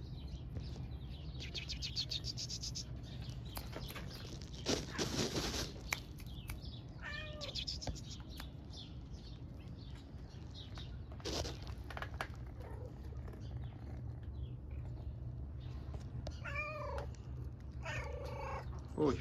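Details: Stray mother cat and kitten in Istanbul asking for affection: several short, arching meows scattered over the stretch, the clearest near the middle and the end, over steady street rumble, rustling and a woman speaking softly in Turkish.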